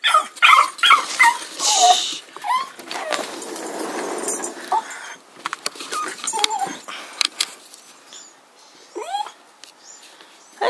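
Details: Jock, a jug puppy, reacts to a cat it dislikes in the yard with high, bending whines and sharp yips in irregular bursts, loudest early on. Quieter whimpers trail off toward the end.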